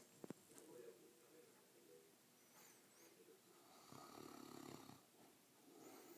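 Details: A male Mastiff asleep indoors: soft breathing and low background murmurs, then a single rumbling, fluttery snore lasting about a second before the room turns quiet again.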